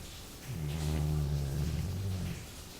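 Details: Jully, a Labrador, snoring while asleep: one long, low, rumbling breath of nearly two seconds with steady harmonic bands, rising in and fading out, in a quiet room.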